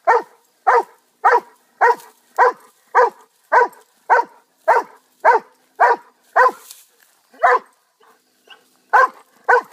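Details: Rapid, even barking from a pet dog, a dozen clipped mid-pitched barks roughly every half second, then a few more spaced out with short pauses; no other sounds.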